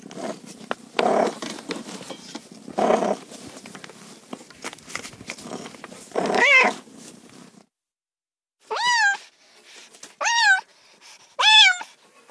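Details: Rough, noisy rumbling fills the first half, then a cat meows three times in quick succession, each call arching up and down with bright overtones, after a short silent gap.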